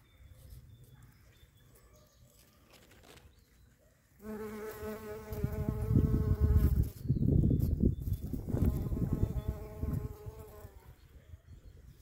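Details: A shrill carder bee (Bombus sylvarum) gives a steady, high-pitched, droning buzz that starts abruptly after a quiet opening.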